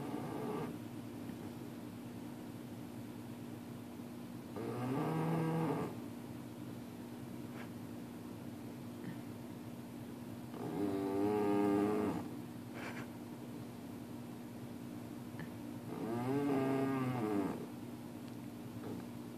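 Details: Sleeping puppy snoring loudly indoors: three drawn-out, rasping snores with a whistly, harmonic edge, about six seconds apart, quiet breathing between, over a steady low hum.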